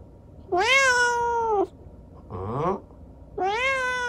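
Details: Young rescued cat with a disabled leg from an accident, chattering at night: a long, steady, rich meow, then a short meow sliding downward, then another sustained meow rising slightly, with brief silences between.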